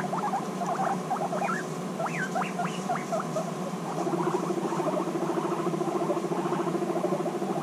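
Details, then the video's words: Guinea pigs reunited after six months apart, intense bonding; a burst of rising squeaks, each sweeping upward, then a dense rapid chuttering buzz, over a steady mechanical hum indoors. "Guinea Pigs Reunited After 6 Months Apart: Intense Bonding"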